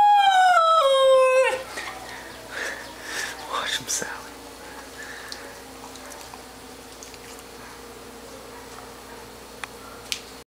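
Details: Sally, a pet dog, howling along when the town fire alarms go off: a loud, drawn-out falling howl with rich overtones lasting about a second and a half, followed by quiet human talking and whispering indoors.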